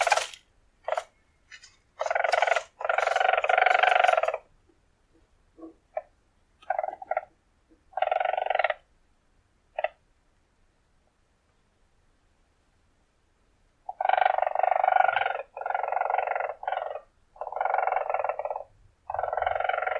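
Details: Wild weasel of the marten family trilling in buzzy pulsed bursts, a long run early on, scattered short notes, a quiet pause, then a series of four or five trills about once a second.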